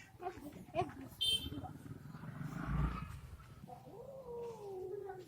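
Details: Two Bengal cats fighting as they are introduced to each other indoors: a drawn-out, wavering yowl rises and falls in pitch over a low rumbling growl, with human voices heard in the background.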